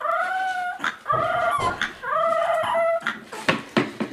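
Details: Dog in a funny pet compilation giving drawn-out, tonal whining howls, each about half a second to a second long, sliding slightly downward and repeated several times, then a few sharp short noises near the end.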